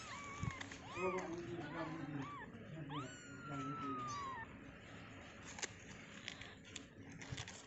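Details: Freshly born kittens in their cage cry with wavering high mews, one drawn out into a long, slowly falling wail, before the calls fade into scattered taps and background murmur.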